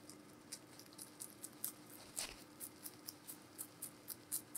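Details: Giant rabbit named Meonji eating vegetables indoors: crisp, rapid crunching clicks repeated about four times a second in a steady chewing rhythm, with one louder crunch midway, over a faint steady hum.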